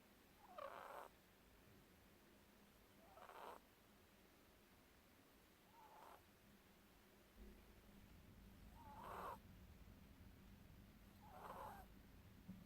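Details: Pet ferret fast asleep and snoring: five soft, breathy snorts come every two to three seconds over a steady low hum.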